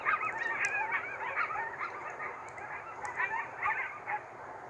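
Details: A group of coyotes in rural Central Alberta, Canada yips and wails in a tangled, wavering chorus during a geomagnetic storm, setting off cats and farm dogs.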